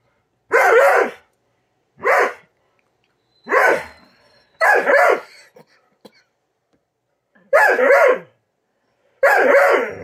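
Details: Female Doberman Poupoune throws a tantrum over her slow breakfast, giving six sharp, separate barks spaced about one to two seconds apart, each short and forceful, with near silence between them.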